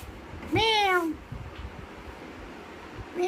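A Persian cat gives a clear, rising-then-falling meow, with a second meow starting at the end.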